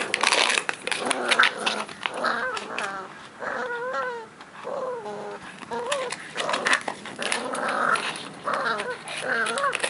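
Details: A 12-week-old Cavalier King Charles Spaniel puppy growls while playing with a favourite plastic pot in a yard. The sounds are squeaky, whiny growls in short bursts, some rising and falling, with rustling and knocking between them.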